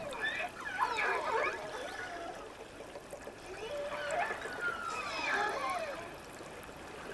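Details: Off the Crozet Islands, another killer whale pod gives squealing, rising and falling cries in a dialect recognized by a listening family; such cries usually mean the pod has spotted prey too large to handle and needs reinforcements.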